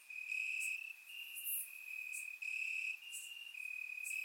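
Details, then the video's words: Summer night in Bulgaria with crickets chirping in grass: a bright high-pitched continuous trill broken into loud pulses about every second, plus a few brief higher ticks. "Cricket Sounds - Crickets Chirping at Night"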